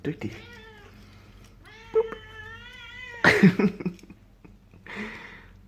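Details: A male Burmilla kitten gives drawn-out, slightly rising hungry meows between short rustling bursts after catching and eating a fly indoors; he made similar sounds at three months old when fed beef.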